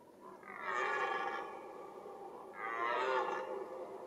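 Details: Red deer stag roaring during the rut, the mating season: two long, hoarse, harmonic-rich bellows, each about a second long and separated by a short pause, against quiet background.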